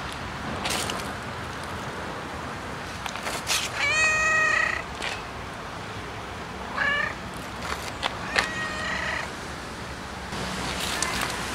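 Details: Cat meowing in a compilation of noisy cats and kittens: a long, drawn-out meow near the fourth second, then two shorter, bending meows later, over a steady background hiss.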